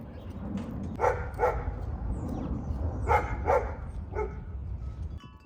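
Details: A female German Shepherd barks at a distance in an urban garden, giving hoarse, punchy barks in quick doubles over a steady low city hum and rumble.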